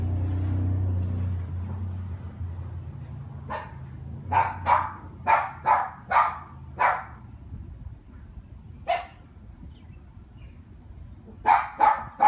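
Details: A neighbour's dog barking in irregular bursts: a run of six harsh barks, a pause, a single bark, then three more at the end, after a low rumbling hum fades at the start.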